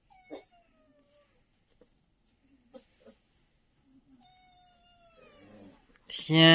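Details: Abandoned young puppies from a litter left at a doorstep late on a winter night, squeaking from the cold: thin, descending whimpers with faint harmonics, a few soft squeaks between, ending in a sudden loud, harsh cry; indoor setting.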